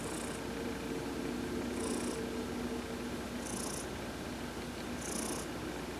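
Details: Massage during sunbathing sets pet cat Heidi purring on November 19, 2020. The rumbling purr pulses evenly and low, while faint high-pitched tones sound at intervals of about 1.7 seconds.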